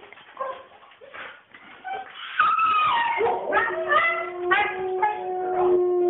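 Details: Agitated female Siberian Husky throwing a fit: scattered whimpers and yips give way to loud, drawn-out howled whines that bend up and down, with a steady tone at the end.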